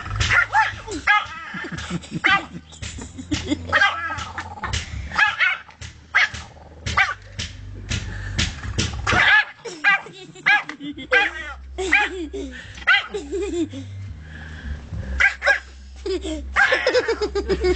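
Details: Pekingese dog playing wildly on a summer day in Kriva Palanka, Macedonia, 2009: bursts of sharp, high yipping barks in quick runs, mixed with people's laughter and talk and a low steady hum underneath.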